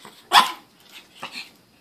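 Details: Bossy female pet Chihuahua barking at its owner for Pringles chips after seeing them eaten: one sharp, high, abrupt bark followed by a softer short yap, with a person asking what she wants.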